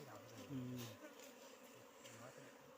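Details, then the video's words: Wild bees disturbed during honey harvesting give a low, steady humming buzz that swells and fades in short bursts, with people talking nearby. "बन मौरी को मह निकाल्दै"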